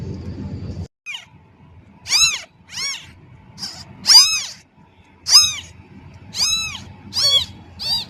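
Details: Newborn kitten crying loudly for its mother cat: a rapid series of high, arching meows, roughly seven or eight calls, some rising then falling, over faint low rustling.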